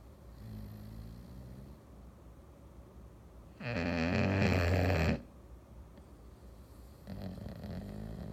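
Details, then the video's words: A male English Bulldog snores on a Sunday afternoon with deep, rattling breaths, one loud harsh snort standing out. "English Bulldog snoring"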